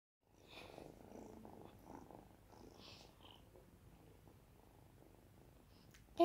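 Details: Five-month-old tuxedo kitten, a rescued, friendly, litter-trained cat up for adoption, purring softly indoors; a low steady rumbling purr throughout, with faint quiet rustles and a brief sharp tap at the end.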